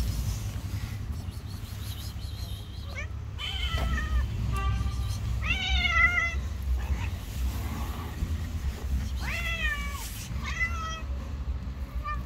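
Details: Two street cats who hate each other meet and fight; several drawn-out, wavering yowls with rising and falling harmonics come in bursts over a steady low traffic rumble.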